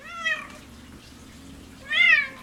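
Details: Pet cat Scientist, indoors after a meal and play, gives two clear drawn-out meows about two seconds apart, each rich in harmonics and slightly rising then falling, with quiet room hum between.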